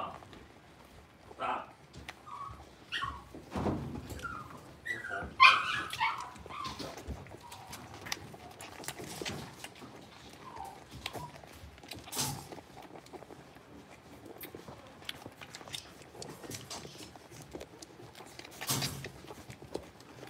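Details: Blenheim Cavalier King Charles Spaniel puppies, six weeks old, from a litter of five in an indoor home puppy pen, give scattered short high yips and whines, loudest around five seconds, among soft knocks, shuffling and faint voices.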